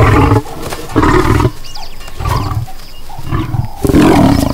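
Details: Lion in the Serengeti, Africa, disciplining the cubs' babysitter after he fell asleep: deep, rough growling roars in repeated bursts of about half a second to a second, loud and low, with brief quieter gaps between.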